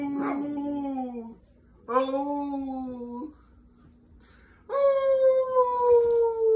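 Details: Chihuahua dogs howling: three drawn-out, tonal wails, each one to one and a half seconds long, held steady, then sliding slightly downward, with short quiet gaps between them.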